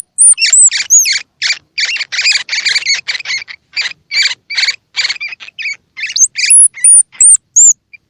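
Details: Used to prompt baby squirrels, whether their eyes are open or closed, to feed: dense rapid raspy chirps from a baby squirrel, opening and closing with clear, very high whistled squeaks.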